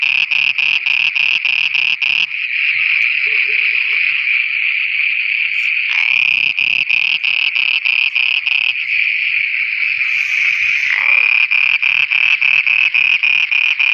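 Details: Frogs calling at night in Pakistan, alternating between bursts of fast pulsed croaks about three per second and stretches of continuous buzzing trill, with faint low sounds underneath.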